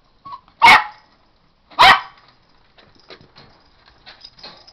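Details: Pet dog indoors gives two loud sharp barks about a second apart, followed by quieter scuffling and soft sounds while a person urges it on.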